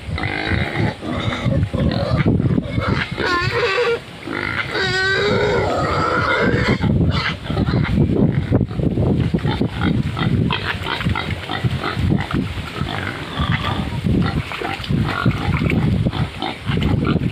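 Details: Huge wild pig in the mud, peeing; deep rough grunting throughout with a few higher wavering squeals in the first seconds, over constant low rumbling and splashing noise.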